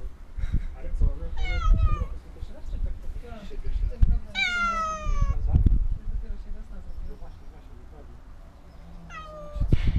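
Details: A small, scared cat meows three times, each call a bright, drawn-out cry that slides downward in pitch, with the middle one the longest; low rumbling handling noise and faint voices fill the gaps.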